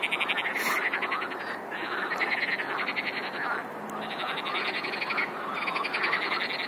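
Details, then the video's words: Many frogs croaking at once, rapid pulsed rattling calls in overlapping bursts, a few brief clicks or knocks breaking through; loud, unbroken chorus. "Хор лягушек! :) - Chorus of frogs! :)"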